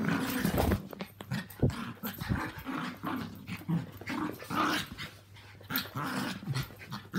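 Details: During a mad half hour, housemates Walt, a three-year-old Yorkie, Milly, a four-year-old Yorkie, and Harvey, a two-year-old Maltese, roughhouse. Choppy low growls and snorting grumbles come in quick pulses, with sharp thumps between them.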